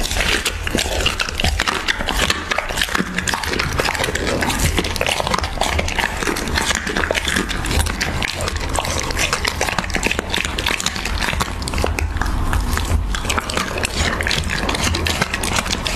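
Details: Raw beef eaten by a Siberian Husky, miked closely: loud slurping, snuffling and chewing run continuously, with wet slaps and bursts of crunching.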